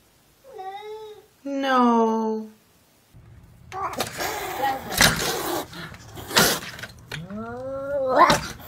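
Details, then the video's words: Talking domestic cat meowing twice with clear harmonic, falling cries, then a burst of noisy sounds and handling noise before a final rising meow. "Talking Cats"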